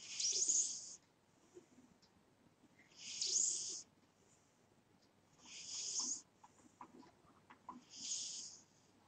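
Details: A pet cat snores in its sleep, making four breathy, hissing rasps spaced roughly two and a half seconds apart, with faint soft clicks between breaths in a quiet room.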